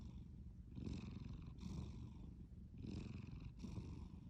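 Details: Snoring from a sleeping cat, a deep continuous rumble broken into paired breathy pulses, inhale and exhale, roughly two breath cycles across the stretch.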